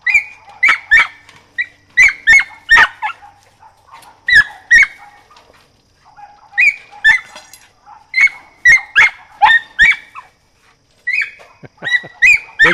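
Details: Mountain feist puppy, 4½ months old, training with a squirrel: rapid bursts of sharp, high yipping barks in quick clusters separated by brief pauses, about eighteen barks in all, with faint background murmur.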